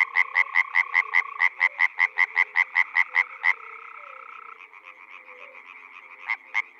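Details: Frog calling in spring at a pond or wetland in the Czech Republic: a close caller gives rapid, regular croaking pulses, about five per second, for three and a half seconds, then a softer chorus of frogs continues behind.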